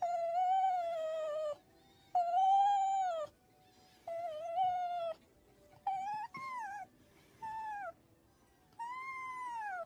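A red fox gives drawn-out, whining, cat-like cries, each one arching and falling, repeated every couple of seconds.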